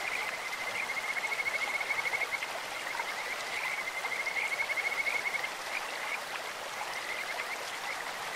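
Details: Stream-dwelling Kajika frog producing a sustained, melodious trill of quick high pulses for about four seconds, then quieter scattered notes, amid the steady hiss of running water.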